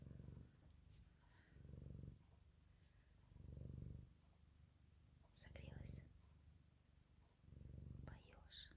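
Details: Purring from a Canadian Sphynx cat snuggling up for warmth: deep, rumbling pulses that swell and fade with each breath, roughly every two seconds, and faint rustling near the end.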